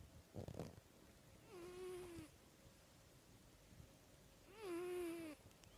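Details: Snoring cat: two drawn-out, tonal, wheezy breaths about three seconds apart, each wavering slightly in pitch, with a short soft rustle near the start.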